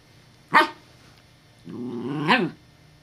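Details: Evangeline, a puppy with a deep, rich voice, barks in alarm at a perceived threat: one short sharp bark, then a longer rising-and-falling growly woof about a second later.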